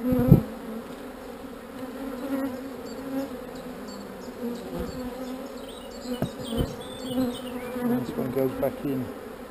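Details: Honey bees, described as not so angry, humming at an open hive while queen cells are handled; a steady low drone runs throughout, with a sharp knock near the start and scattered faint ticks and clicks above.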